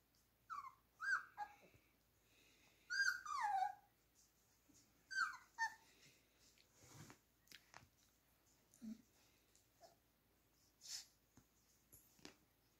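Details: Four-week-old Beagle puppies playing with each other give high, sliding whimpers and yelps around two seconds apart, some falling in pitch, with soft breathy sounds and light scuffling between calls.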